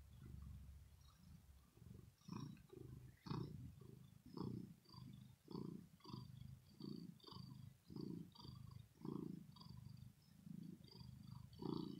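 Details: Pet cat Rosetta purring after play, a deep throaty rumble made of steady low pulses roughly twice a second, each with faint higher overtones, continuing evenly throughout in a quiet indoor setting.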